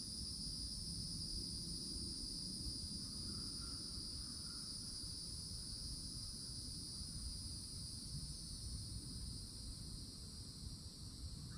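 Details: Cicadas in summertime Florida at a forest edge beneath old oaks, a loud steady high buzzing drone held unbroken throughout, with faint bird chirps midway and a low rumble of background noise.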